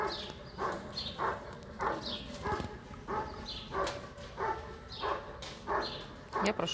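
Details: Working in Section C of the IGP-1 qualifying event at the 2022 Russian Championship, the German Shepherd Bandit vom Haus Kogor gives a steady run of loud, gruff barks, roughly ten in quick rhythmic succession, over a murmuring crowd.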